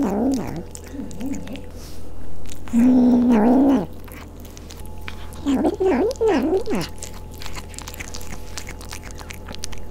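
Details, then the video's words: Angry Maine Coon kitten at a cattery in Leverkusen, Germany, growling while eating fish it will not share: low wavering growls, one long steady stretch, then a rising-and-falling yowly growl, with chewing sounds and a constant hum. "Angry Kitten eating Fish"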